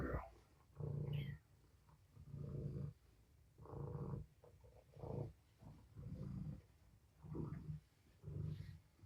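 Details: Sleeping kitten Tommy, one of five kittens born to rescued mother cat Patience at Purrfect Pals, napping in a bed one morning: low, breathy purr-like bursts rising and falling about once per second, steady and rhythmic.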